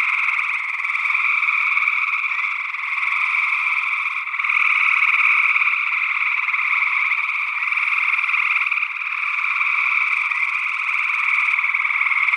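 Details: Early June 2022 in Northwest Wisconsin: many gray tree frogs trill together, recorded in ORTF stereo with small condenser microphones. The rapid pulsed calls blend into a continuous drone with slow rises and falls in loudness. A second frog species, possibly spring peeper, joins in.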